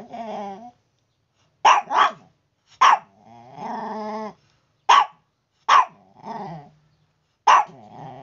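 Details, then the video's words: Noisy Chihuahua in the morning, mixing short, piercing barks with drawn-out, wavering whines and growls between them, in an irregular back-and-forth pattern. "Chihuahua Noisy | Morning Alarm Clock"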